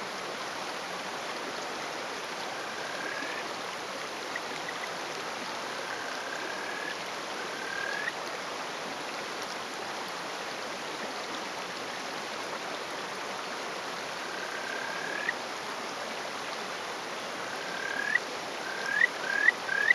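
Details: Small male Kajika frog (Buergeria buergeri), a territorial caller, perched on a rock by a stream in rural Hofu, Yamaguchi Prefecture, on a May 2018 morning. Faint drawn-out whistles give way to a quick run of rising, chirping notes over steady water noise.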